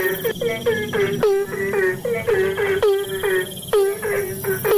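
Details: Asian common toad in the rainy season, giving a run of short, reedy croaks in uneven groups of two to four, with a faint steady high-pitched whine in the background.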